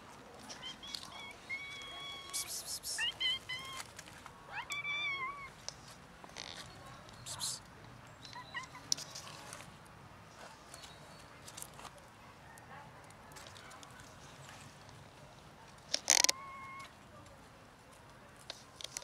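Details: Two formerly near-feral, now socialized cats, one black and one ginger-white, meowing for food: several short harmonic meows early on, then scattered clicks, taps and rustling with a sharp bang near the end.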